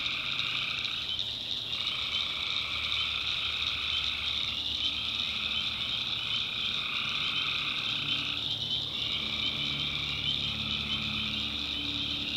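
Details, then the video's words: Many tree frogs call after dark in a backwoods swamp in North Carolina. The sound is an unbroken high buzzy chorus, and a lower trill drops out roughly every three to four seconds before starting again. "Relaxing Swamp Sounds at Night - Frog Heaven - Frogs, Crickets, Forest Nature Sounds"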